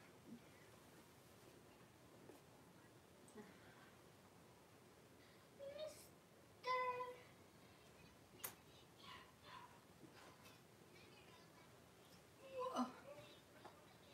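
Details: Cavalier King Charles Spaniel puppies, five blenheim pups with their mother Paris in an indoor puppy pen, 26 January 2023. Two short bursts of bright, squeaky squealing stand out about six seconds apart over quiet rustling and faint voices.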